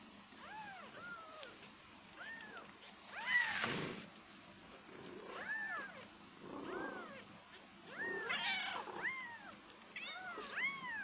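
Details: Quiet kittens meowing, many thin arched mews overlapping at irregular intervals, with a brief noisy rustle near the start and background hiss throughout.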